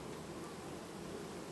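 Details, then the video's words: A honey bee colony in mid-August, going through a calm queen replacement, gives off an unbroken, uniform buzz of many bees, steady in loudness throughout, without other distinct noises. "Matca schimb linistit 2019, familie ce asi schimba matca , albinele in august"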